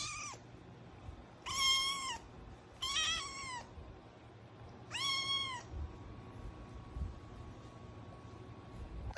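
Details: Eight-week-old kitten finally starting to meow: three clear, high, drawn-out mews, each slightly rising then falling, spaced a second or two apart, over a soft background hum.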